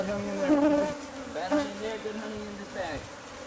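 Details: Bees from a hive concealed in a home's walls, angry as the nest is removed; buzzing tones that swell and glide up and down in pitch as individual bees fly past, over a softer steady hum.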